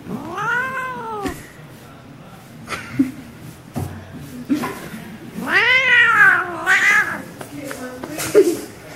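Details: Domestic cat attacking a mitten indoors, letting out drawn-out, arched meows that rise and fall in pitch, two long cries about five seconds apart with short yowls and clicks between them, and faint voices in the background.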